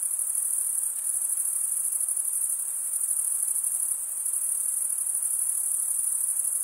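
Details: Summer night in a forest, where many crickets chirp in an unbroken shrill chorus, a high, even, rapidly pulsing trill that holds steady throughout, with only a faint soft hiss beneath.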